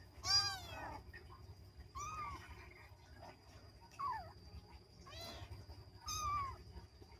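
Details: Playing kittens give a series of high, bending meows, about five in seven seconds, some rising then falling, over low background hum and a faint steady tone.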